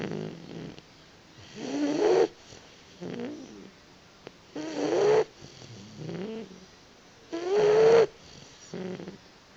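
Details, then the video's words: Boxer puppy asleep and napping, snoring in repeated drawn-out rasping breaths roughly every three seconds, each rising in a whiny, nasal tone, with quieter snuffles between. "Boxer Puppy is Snoring Again!"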